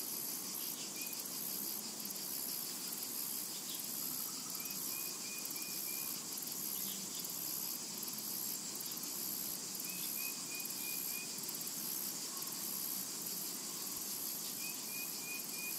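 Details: Cicadas singing in a summer meadow, a constant high electric whine with a faint pulsing texture; short runs of four or five clipped bird notes repeat a few times in the distance.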